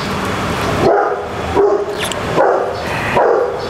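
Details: Domestic dogs barking at a large dog shelter in Jakarta holding about 2,000 dogs; sharp barks repeated roughly every 0.7 seconds over a background of distant yapping and general noise.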